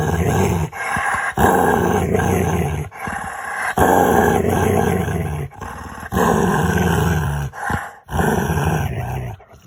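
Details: A pet dog at play with its owner makes funny noises: a string of deep, gravelly, groaning growls, each lasting one to two seconds with brief gaps, loud and close, with music playing in the background.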